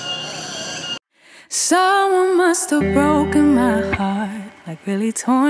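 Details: Music with a sung voice and some speech, a short break of silence near the start; no animal sound is heard.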